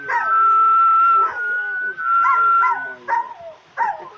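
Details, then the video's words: Dog singing in response to whistling, its warbling howls bending up and down beside a sustained steady whistle, with short yowling phrases repeating about every second near the end. "Собака поёт под свист"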